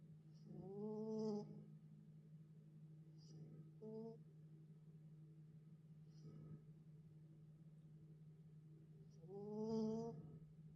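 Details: Dog sleeping soundly after an outing to the dog playground, snoring: two long, drawn-out tonal snores about nine seconds apart, with a short softer one near the fourth second, over a steady low indoor hum.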